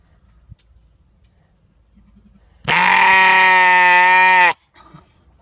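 A sheep gives one long, loud, harmonic bleat that holds steady for nearly two seconds.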